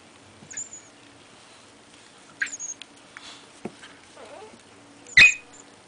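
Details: Trooper, an Australian shepherd/lab mix, yelps while play-wrestling on a shop floor with Ammo, a miniature dachshund. There are a few sharp, high, squeaky yelps, with a loud burst near the end, amid pattering paws and scuffling indoors.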